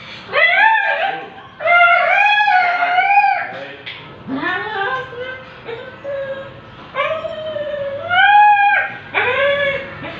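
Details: Siberian Husky in an artificial insemination session, making long wavering whines and short howl-like cries, rising and falling, several in a row with brief gaps, in a small indoor space.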